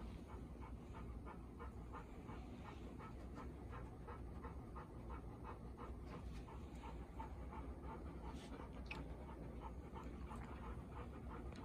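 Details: Bis, a nervous four-year-old female Golden Retriever, the day after joining her mother Ibuki and Kohaku; steady fast panting throughout, roughly two breaths per second, with a low hum and faint thin squeaks.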